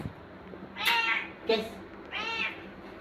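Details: A pet cat described as looking afraid gives three short, harmonic-rich meows spaced about two-thirds of a second apart, each rising and then falling. Quiet human talking in Tagalog is heard around the calls.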